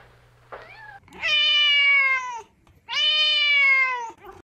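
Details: Playful kittens outdoors in a garden: a short high chirp followed by two long, steady, plaintive meows of about a second and a half each, slightly falling at the end, with quiet pauses between.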